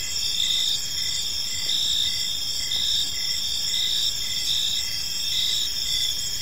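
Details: Evening park ambience of many crickets: shrill, continuous layered trills sit high above a quieter pulsing chirp that repeats roughly every half second, over a soft low hum of distant noise.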